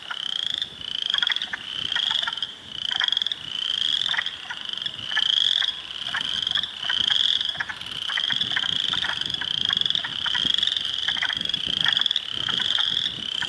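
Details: Hundreds of spring frogs in a swamp at Heartland Forest, Ontario, on 2 April 2022, including Spring Peepers, Wood Frogs and Eastern Chorus Frogs, form a dense chorus of high, buzzy trills repeating almost continuously.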